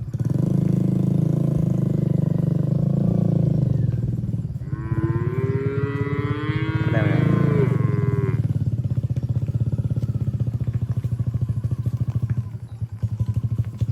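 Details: Cattle being herded through the middle of a forest toward their shed, jumping happily; one long harmonic moo rises over a loud, steady low engine rumble that continues before and after the call.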